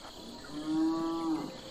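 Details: Domestic farm cattle give one steady, drawn-out moo, level in pitch with a rich, harmonic tone and lasting under a second, over a constant background hum of chirring insects.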